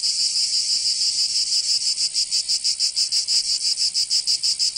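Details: Cicadas in the southern French region of Provence during summer, producing a continuous shrill buzz that swells and fades about three times a second, the pulses growing more distinct toward the end.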